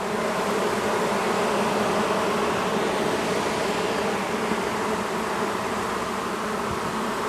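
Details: Agitated honey bees, a long-time colony cut out from a house wall after dark, fill the air with a loud, even, unbroken buzzing hum.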